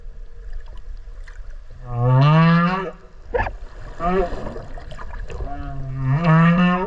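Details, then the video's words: Whale heard underwater beside a swimmer off Okinawa: deep rising moans with stacked harmonics, two long upswept groans several seconds apart with a brief pulse burst between, over low water rumble. "クジラの鳴き声 〜海の中の神秘のメロディ〜"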